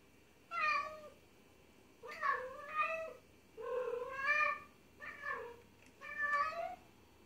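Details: Domestic cat giving happy meows, a sign of affection or play with its guardian and of a trusting bond: five rising-falling harmonic meows, each under a second, spaced about a second apart over a soft background hiss.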